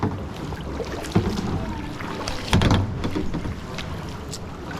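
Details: Wind noise and water with kayak paddle splashes and knocks, no animal heard.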